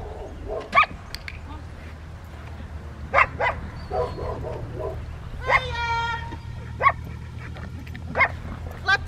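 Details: Rottweilers at an obedience training session with distraction, recorded May 2, 2021; short, sharp barks burst out every couple of seconds over people talking and a steady low hum.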